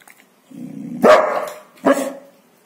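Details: Golden Retriever protecting his bone: a low rumbling growl builds, then breaks into two sharp snarling barks close together, loud and harsh.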